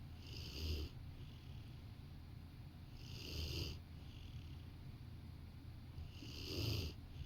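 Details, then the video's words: A Rottweiler napping on a sofa beside a person snores in slow, rhythmic, rumbling breaths, each rasping snore about three seconds apart. "Rottweiler taking a nap while snoring"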